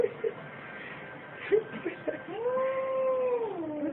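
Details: A kitten gives a long drawn-out meow that holds steady then slides downward, after a few short squeaky sounds and soft clicks, over a low background hiss.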